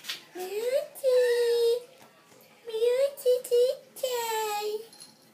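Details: Persian and Siamese cats meowing while they wait for their food: drawn-out rising-then-level cries, a pair of shorter upturned meows, and a final long falling wail, separated by brief quiet gaps.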